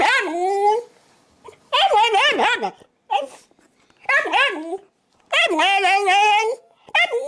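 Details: Pet Shiba Inu begging insistently for an apple set on the table indoors: loud drawn-out whining howls with bending, wavering pitch, in five bursts of about one second separated by short silences.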